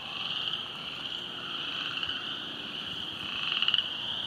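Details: Flooded Silver Creek trail after heavy rain, with frogs croaking: a constant high-pitched trilling hum and a brief louder rattling burst near the end.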